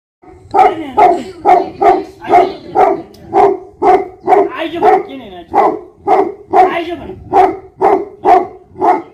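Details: Nepal's Tibetan Mastiff (Bhote Kukur), a livestock guardian dog, barks continuously: about eighteen loud, evenly spaced harmonic barks, roughly two per second, with a brief rougher, howl-like stretch midway.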